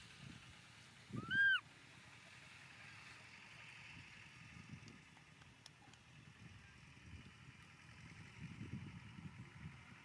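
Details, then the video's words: Momo, a baby monkey, cries on the rocks after being left by its father: a single brief, arched, high whistled wail that rises and drops, followed by quiet outdoor murmur and soft low rumbling. "Baby Momo cries loudly on the rocks - when Dad leaves him pitifully"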